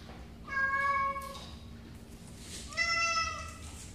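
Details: Domestic cat meowing twice: a clear, drawn-out meow, then a second, higher, slightly rising meow about two seconds later, with a low background hum.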